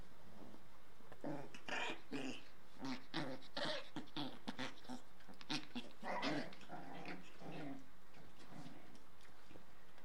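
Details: Indoor play by a 38-day-old Shiba Inu pup, dancing around with a little toy: low rumbling growls mixed with brief whimpering yelps, coming in quick irregular bursts for several seconds before fading.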